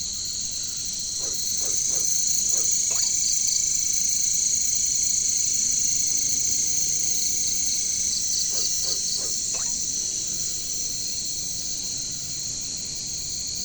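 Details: Katydids (caricangkas, bush crickets) in jungle: a steady, shrill high-pitched drone throughout, with short pulsed ticks near 3 and 9 seconds and low croaking frog-like calls in two bursts.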